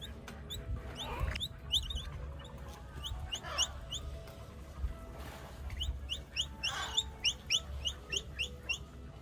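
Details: Baby capybara at Izu Animal Kingdom, Japan, recorded June 2025: short, high, rising chirps in quick clusters, several bursts running close together, over a steady low background hum.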